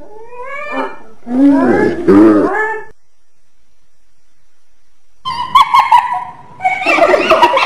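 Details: Hyena producing a rising, whining call and a rougher groaning burst, then after a pause a clipped staccato series running into a continuous harsh chatter.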